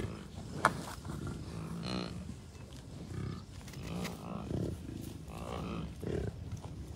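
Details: Wild American bison herd with many cows, a few bulls and dozens of calves, Rocky Mountain Arsenal Wildlife Refuge, Colorado, June 2, 2022: repeated deep, rough grunts and bellows overlap through the recording amid steady wind noise.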